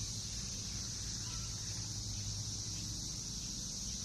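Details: A dense chorus of Brood X 17-year periodical cicadas, newly emerged in a backyard in Northern Kentucky in June 2021, makes a steady, high, hissing drone without a break.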